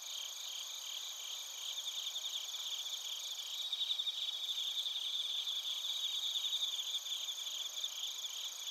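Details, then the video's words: Chorus of crickets, including bell crickets, recorded in Narita, Chiba, Japan on a TASCAM Portacapture X8. Continuous shrill ringing from many insects at several pitches, with a nearer rapid pulsing trill growing stronger midway and carrying on to the end. "スズムシとコオロギの鳴き声 - Chirping of crickets"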